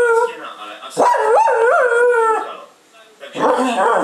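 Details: A female Cocker Spaniel kept as a pet howls in a wavering, rising-and-falling tone lasting over a second, followed by a pause and a rougher, noisier burst.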